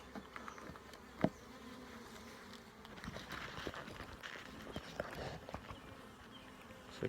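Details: Honey bees droning as frames are checked during a full hive inspection, a low steady hum broken by scattered knocks and clicks of handling, one loud tap early on.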